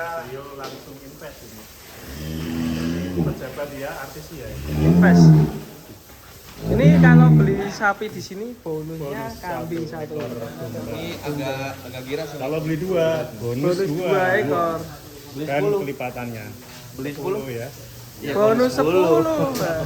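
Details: Cattle kept for 2023 sacrifice, owned by celebrities and officials, let out two deep, drawn-out moos close together, followed by steady human talking and crowd noise.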